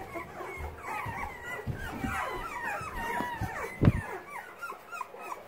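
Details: Boxer puppies progressing daily at using their legs and paws; a dense chatter of thin, wavering whines and squeaks from several pups, with low thumps of movement and one sharp knock near the end.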